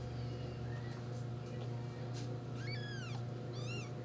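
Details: Four-day-old kittens pushing with their paws over their mother give faint thin cries, then two clear high arched mews in the final seconds, one stacked and quavering, above a persistent low hum.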